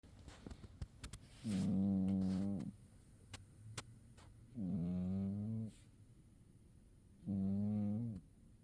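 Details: Domestic cat sleeping through winter and snoring: three loud, low, buzzy droning breaths, each about a second long, spaced roughly three seconds apart, with faint clicks and rustles between.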